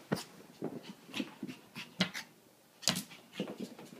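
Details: Playful puppy called Bear during her crazy moments inside a small room: quick breathy panting pulses with brief whimpering squeaks and a couple of sharp louder yelps.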